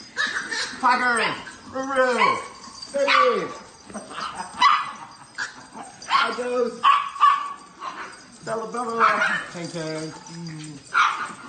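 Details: A swarm of Chihuahuas crowding over a person lying on the floor; a run of arching, whiny yelps rising and falling, then scattered short yips and barks, with a person talking throughout.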